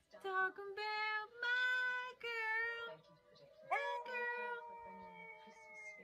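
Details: Husky vocalizing in a funny pet compilation: a series of drawn-out, tonal howl-like yowls with rich harmonics, rising and wavering in pitch, several bursts separated by short pauses, then a long, slowly falling held note.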